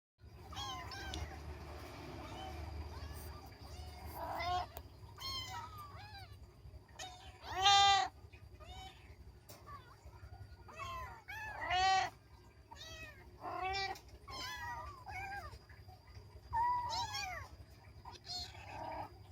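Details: Kittens playing, mewing repeatedly: short high arching meows scattered across the recording, several louder ones standing out, with low background rumble and a steady faint tone.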